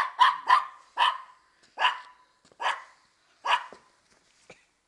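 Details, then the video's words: A female Maltese (bichon maltais) plays one of her favourite games, peering under a car at the feet of the person playing with her to avoid being caught; six sharp, mid-pitched barks come in uneven bursts, two quick ones first, then spaced singles. "un des jeux préférés de mon bichon maltais"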